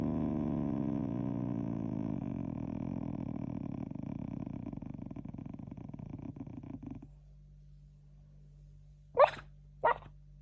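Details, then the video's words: A sleeping Shiba Inu breathing heavily and noisily indoors, a rasping snore-like rhythm for about seven seconds that stops after being stroked to calm it, followed by two brief louder rustles. "寝言がうるさい柴犬/Shibainu is noisy when sleeping"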